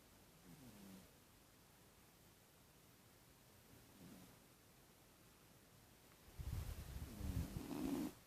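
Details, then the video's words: A sleeping cat snoring: soft, low rumbling breaths near the start and again around four seconds, then a louder, rougher rumble with a buzzy tone through the last two seconds. Quiet room otherwise. "Кот храпит."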